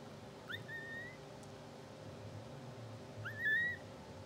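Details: Two-hour-old English Bulldog puppies of a Blue Sable litter, sleeping, twitching and dreaming: two brief high squeaks rising then levelling off, about three seconds apart, over a low steady room hum.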